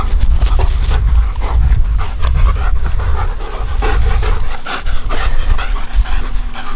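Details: Two German Shepherd brothers playing together in a back yard, heavy rhythmic panting and scuffling puffs of breath throughout, over a constant low rumble of wind or handling noise.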